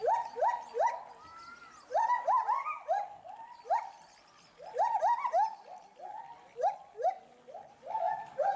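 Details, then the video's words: Captive agile gibbon couple at Bristol Zoo Gardens, UK, calling loudly in agitation at something in the bulrushes; quick rising whoops repeated in clusters, with occasional higher sliding notes layered over them, short quiet gaps between bursts. "GARRULOUS GIBBONS ~ Agile Gibbons (Hylobates agilis)"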